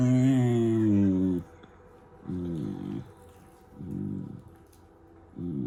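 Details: German Shepherd puppy making funny noises: a long, low, groaning drawn-out sound, then three shorter rumbling, grumbling bursts separated by quiet pauses.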